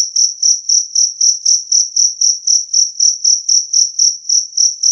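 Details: Two-spotted cricket (jangkrik kalung) with a clear, loud chirp, used to drive away rats. Pure high-pitched pulses repeat steadily, about four per second, roughly twenty in all. No other sounds.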